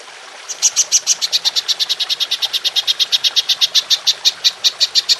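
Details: A golden grasshopper, recorded as a model for training songbirds, begins after a brief quiet start with a rapid, regular series of crisp high pulses, roughly seven each second.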